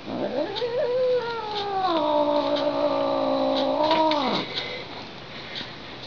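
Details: Indoor female house cat, annoyed after two taps, producing a theremin-like wail: a rising, then long level howl lasting around four seconds with a slight waver, ending in a downward slide; room faintly quiet afterwards.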